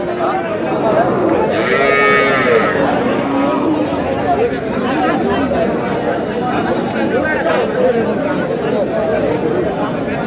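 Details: Dry, bony cows at the Aftabganj cattle market on 2 May. A deep, drawn-out moo rises above the crowd near the start, with steady market chatter and bargaining voices throughout.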